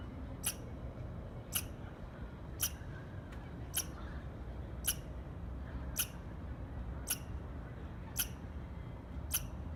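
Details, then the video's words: Squirrel giving a series of nine short, sharp chirps at a fairly even pace of roughly one per second, with a constant low-pitched background hum. "Squirrel Chirping Sounds"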